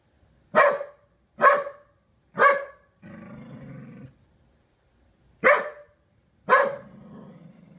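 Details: An unhappy Corgi barks at a sailboat-shaped kite, giving sharp, loud barks about a second apart with a low rumbling growl between them.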